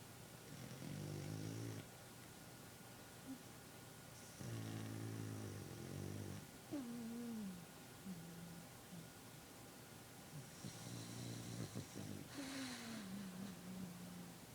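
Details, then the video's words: Boston Terrier napping, snoring in long raspy, buzzy breaths that come roughly every four to six seconds, with thin gliding whistle-like squeaks between some breaths and quiet room hiss throughout. "Snoring Boston terrier"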